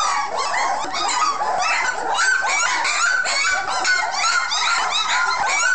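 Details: Puppies just fed in a cleaned kennel, pillow missing, whine and yip together in a steady tangle of high-pitched, wavering cries, with a few clearer sustained whimpers standing out.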